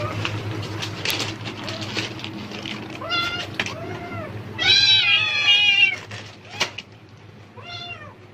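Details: House cat meowing repeatedly at rustling plastic bags, apparently anticipating food: a run of short arched meows, then a louder longer wail, and a final brief meow, with bag crackles and low hum throughout.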